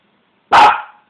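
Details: Single loud bark from a dog being teased, short and sharp with a quick decay, in an otherwise quiet setting.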